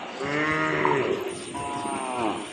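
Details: Cattle at a cattle and buffalo market in Bangladesh, with local and crossbred cows and calves present; a drawn-out tonal low moo, then a second rising-falling call, amid crowd chatter and market noise.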